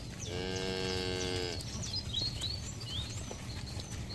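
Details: A cow from a herd of livestock out on a green field, grazing: a single drawn-out moo of over a second, with an even, strongly harmonic tone, followed by scattered thin bird chirps over low rural background noise.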